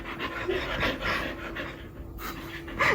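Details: Xika, a pet Border Collie, pants in rapid rhythmic breaths, then pauses briefly near the end before a short louder burst of sound.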